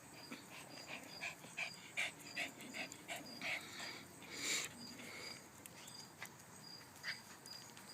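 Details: Morning playtime for puppies at tug of war: faint, high squeaky yips repeated in quick irregular runs over soft panting and rustling, with a woman's voice urging them on.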